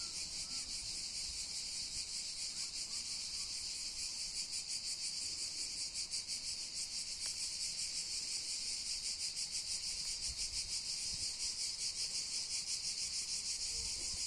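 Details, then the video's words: Cicadas chorusing on Cat Mountain: a dense, high, rasping buzz that throbs in rapid regular pulses, unbroken for the whole stretch. "Цикады на горе "Кошка". Cicadidae on "the Cat" mountain"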